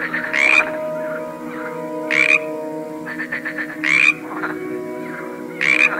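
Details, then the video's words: Frog croaks from a mixed collection: four loud, grating croaks spaced roughly two seconds apart, with a quieter rattling croak and a fainter one in between, all set over a continuous humming musical background. "A cool collection of various frogs - Croaking sounds"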